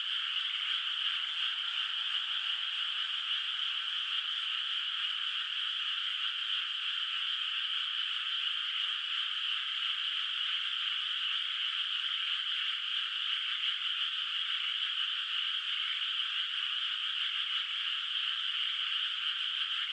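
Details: Distant frogs in a rice field by moonlight, before planting, in a rural night setting: many callers merge into a steady, shimmering wall of trilling that holds evenly throughout, with one faint click near the middle.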